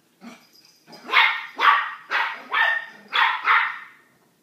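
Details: Small dog barking at a big dog named Manolo behind a door: a quick series of six loud, harsh barks, about two per second, in a quiet indoor room.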